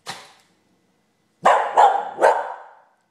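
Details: Molly, a pet dog who rarely gets chatty for no reason like this, gives one sharp bark, pauses over a second, then fires off three quick loud barks in a row, each with a short ringing tail, in a quiet room.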